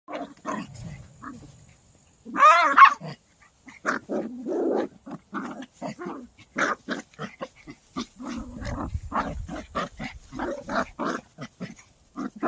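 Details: Poodle on a summer walk, at play: a long high whine near the start, then rapid bursts of short gruff growls and yips tumbling irregularly, several per second.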